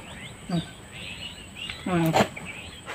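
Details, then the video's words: A domestic goat groans, giving a brief low voiced groan followed by a longer, wavering moan. "ভিডিওটির মধ্যে ছাগলটির গোঙ্গানি শুনতে পেলেন।"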